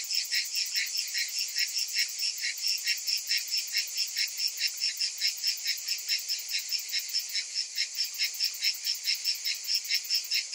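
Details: Summer cicada chorus, several insects together: a continuous high rasping drone throbbing in quick even pulses over about ten seconds, with a thin steady whine on top and nothing else heard.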